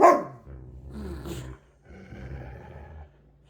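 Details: Siberian huskies playing together indoors: one sharp, loud bark at the start, followed by low rumbling growls and snorts during play-fighting.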